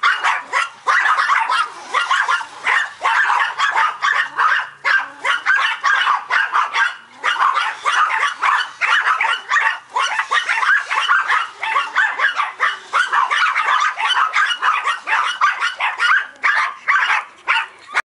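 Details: Multiple Yorkies bark excitedly at a remote control truck, sharp high-pitched yaps packed closely together in a constant stream, pausing only for short breaths.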